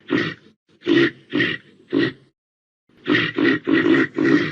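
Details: Four raspy reindeer grunts, a pause of nearly a second, then four more in a quicker run, each a brief breathy pulse.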